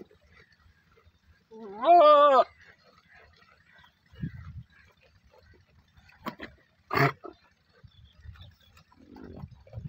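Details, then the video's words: Goat giving a single wavering, quavering bleat lasting under a second, rich in harmonics, followed by a quiet stretch with a few scattered knocks and thumps. "goat sound"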